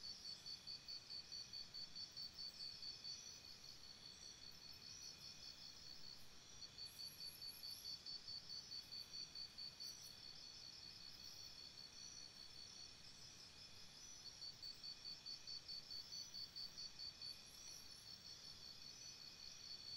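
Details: At night near a campsite, crickets keep up a shrill, evenly pulsed chirping in repeated runs of several seconds, with short pauses between runs and occasional high, faint insect trills overhead.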